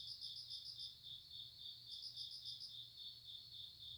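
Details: Grass insect chorus: a continuous piercing high buzz overlaid by two spells of quick pulsed chirps, each lasting about a second, with a soft low background hum throughout.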